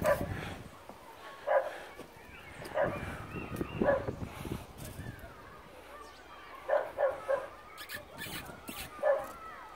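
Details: Bedlington-whippet cross lurcher during a training lesson and a hunting session with ferrets: short, sharp barks and yips come singly or in quick pairs and triples, spread over about ten seconds, while a man talks to the dog.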